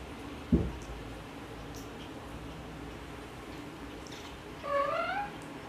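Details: Tiger cat mom vocalising to her kittens: a dull thump early on, then quiet hum, then one clear harmonic meow that rises slightly and tails off near the end.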